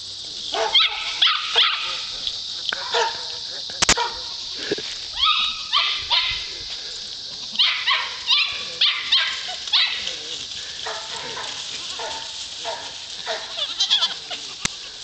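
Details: JJ, a Poodle at work herding goats, gives frequent sharp barks in quick clusters throughout, against a constant high-pitched hiss, with a handler's voice encouraging it.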